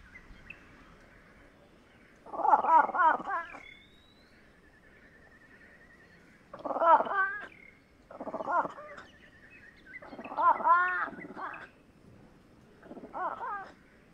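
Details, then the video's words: Fishing cat giving loud, harsh, harmonic-rich calls in five separate bursts of about one to one and a half seconds each, spaced by short pauses, with faint whistled bird notes between bursts. "Fishing Cat Vocalizations"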